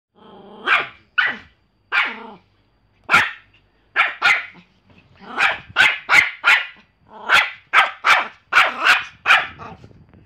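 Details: Pomeranian dog barking in short sharp bursts, bright and high-pitched, in irregular runs of two to four barks with brief pauses, growing faster and denser toward the end; no other clear sounds.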